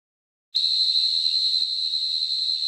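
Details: A field cricket in the Nilgiris, India, sings a steady, high, shrill trill that starts abruptly and holds without a break.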